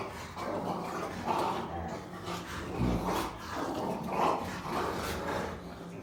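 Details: Three Rottweilers playing together indoors, making low growling and grumbling noises in several drawn-out bursts, with a steady low background hum.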